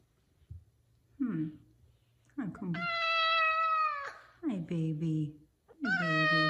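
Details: A five-year-old male F2 Savannah cat gives loud, drawn-out meows, including one long sustained wail, one morning as he demands his chicken early, while a woman talks softly.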